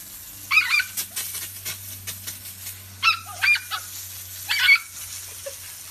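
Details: Miniature dachshund at play gives three short, high, whining yips with nasal overtones, spaced a couple of seconds apart, over a low steady hum and some light rustling.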